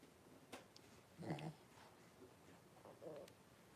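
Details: Blenheim Cavalier King Charles Spaniel puppies, a litter of five born on New Year's, in an indoor puppy pen with their mother Paris; two short low whining grunts about two seconds apart over quiet room noise.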